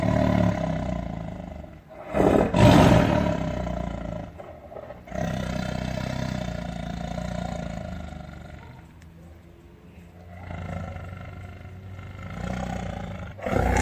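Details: Tiger roaring repeatedly: a steady deep growl opens, a loud harsh burst erupts near the third second, then long rumbling drones ebb and swell, ending with another rising roar at the close.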